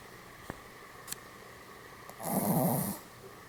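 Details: Snoozing Pomeranian, posed like Goromaru, lets out a single coarse, fluttering snore near the end after a couple of soft taps, over a constant low hum in a quiet room.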